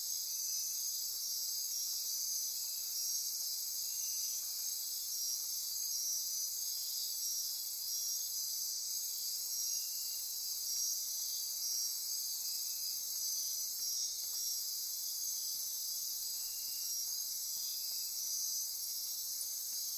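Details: Nocturnal insects filling Osa Peninsula rainforest near Corcovado National Park, Costa Rica, at midnight: a continuous, shrill buzzing and trilling chorus with subtle rhythmic pulses and a few faint clicks, steady in loudness throughout.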